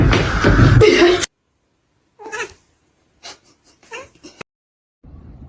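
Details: Kitten giving a few short, separate meows after a loud burst of noise, each call brief with a bent, wavering pitch, with pauses of about a second between them; quiet between calls.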